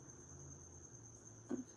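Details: Crickets escaped from a pet gecko's enclosure, roaming a house and living in a hole behind the fridge: a faint, thin, steady high trill runs unbroken through the background, with a soft knock near the end.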